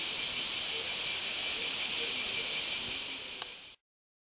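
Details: Kyoto bear cicadas resuming their chorus right after rain ends, a continuous high, harsh hiss-like buzz that holds steady for nearly four seconds, then cuts off abruptly into silence.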